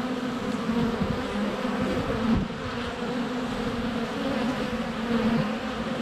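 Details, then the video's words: Many honey bees flying around the entrance of their hive on a sunny February day; continuous low humming buzz with wavering tones from passing bees and brief louder swells. "Honey Bees - ambient video and audio"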